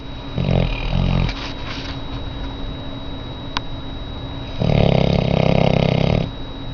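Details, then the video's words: Very large auburn Labrador Retriever female in rescue care, asleep and snoring: low rumbling snores, a short one early and a longer louder rasping snore near the end, with steady background hum between. "the snoring dog"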